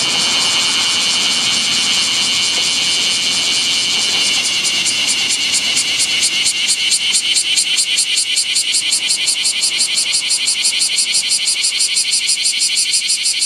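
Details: Bear cicada (Cryptotympana facialis) beside a national road in Japan, midday, 7 August 2020, over 39 °C heat: loud, harsh, high buzzing song settling into rapid rhythmic pulses.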